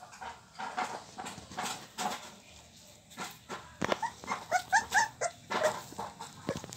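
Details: Litter of 24-day-old Pit Bull puppies; after quieter rustling and faint voices, a burst of short, high, squeaky whimpers comes in quick succession during the second half, several overlapping yelps rising and falling.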